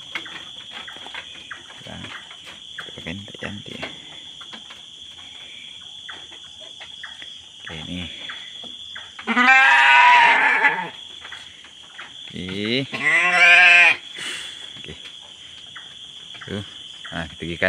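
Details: Goats in their pen at night: two loud, drawn-out bleats about three seconds apart, each wavering and harmonic-rich, over a steady high insect drone and faint rustling.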